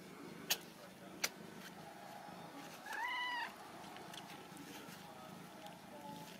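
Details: Ragdoll kittens raised indoors without cages at a cattery in central Kansas; a single clear meow of about half a second that rises then falls, preceded by two sharp clicks, over a steady low household hum.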